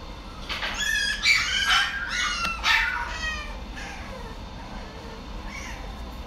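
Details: A Maine Coon cat in a pet shop gives a quick run of high, wavering meows, then falls quiet.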